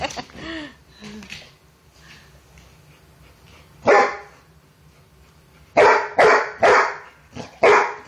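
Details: Brindle Basset hound bulldog female barking while playing with another dog over a toy; loud sharp barks, one near four seconds and a rapid run of five from about six seconds, with a whine-like call at the start and people laughing.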